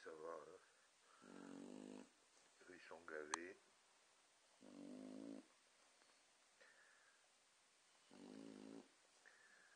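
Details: Sleeping Boxer dogs snoring: low, buzzy, rattling snores about every three seconds, with softer breathy snorts and wheezes between them.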